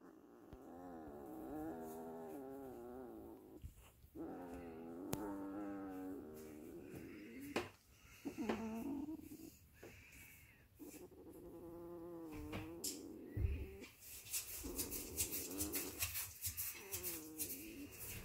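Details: Two 13-day-old Weimaraner puppies at sleep time whine in high, wavering, overlapping cries that rise and fall.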